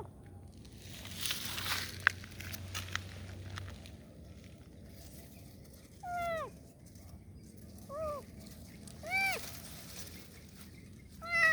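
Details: Kitten heard asking for help, meowing after a stretch of quiet rustling and handling noise; four short arched meows come near the end, roughly one every two seconds.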